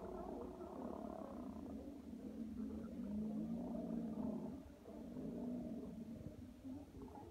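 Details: Sea lion. A sea lion roars in a low, gravelly drone, the hoarse sound rising and falling in loudness for several seconds. The throaty rumble barely pauses, with a soft dip before it builds again.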